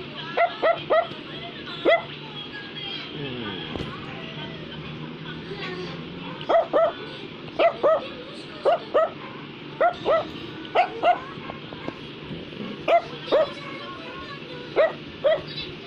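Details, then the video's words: Brussels Griffon giving bursts of high, clipped barks in pairs and threes with short pauses between, over a faint background hum and a little speech. "Brussels Griffon is Barking"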